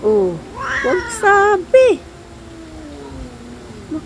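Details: Domestic cat couple, an adopted pair, squabbling before making up; several loud wavering meows with rising and falling harmonics in the first two seconds, then a quiet drawn-out whine, with a woman speaking Filipino nearby.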